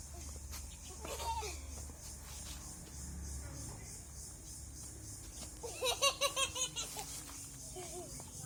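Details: Native (desi) farm goat letting out a tremulous, pulsed bleat of about six rapid quavers near the sixth second, after quieter murmuring voices and rustling.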